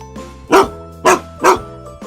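An American Bully gives three deep, short barks about half a second apart over soft music.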